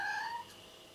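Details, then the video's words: Mr. Cat, a pet cat, gives a clear, harmonic meow of under half a second that drifts slightly upward and then cuts off. A quiet room hum continues after it. "Mr. Cat Is Talking"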